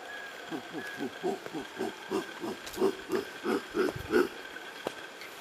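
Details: Howler monkeys, unseen, calling near the self-guided trail at Lapa Rios in Costa Rica: a run of deep, hoarse grunts pulsing about three times a second and building in loudness, over a steady background hiss of insects.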